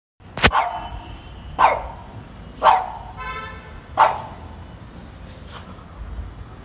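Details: French Bulldog that wants to bite a cat, giving four sharp, short barks about one second apart, followed by quieter sounds, against a faint indoor background.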